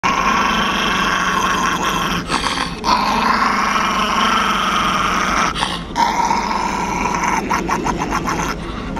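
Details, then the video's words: Spirited little Chihuahua growling while playfully biting a person's hand; a rough, rasping growl runs almost without a break for about nine seconds, with short pauses near two and six seconds. "How to Get Your Hand Bit"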